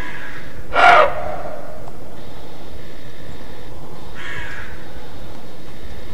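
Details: Roe deer giving its alarm bark (Schrecken) in Mecklenburg-Vorpommern, Germany: a loud, rough, explosive bark about one second in, followed by softer, distant answering barks, set against constant low hiss.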